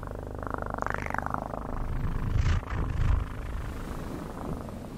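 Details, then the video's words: Domestic cat purring closely, a steady low rumbling throb filling the lower register throughout, with a brief higher rustle near the start and soft handling noises midway. "ASMR 1 Hour Of Best PURRING sounds"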